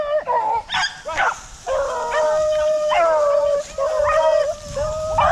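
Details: Rabbit hunting hounds in tall pine woods in South Carolina on a warm, windy afternoon, baying just after jumping the first rabbit; several long, wavering howls with clear harmonics, overlapping bawls from more than one dog, brief gaps between.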